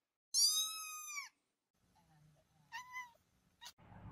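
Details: Domestic cat giving one long, strong meow that falls slightly at the end, then a shorter, softer meow and a brief squeak, with low rustling and a thump at the close.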